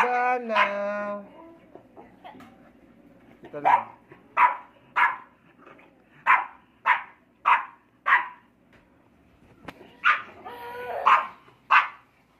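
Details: Four-month-old English Bulldog puppies in a play-fight: a brief voiced human-like 'ah' opens, then a run of about eight sharp, punchy barks roughly every 0.6 seconds, a short pause, and three more barks.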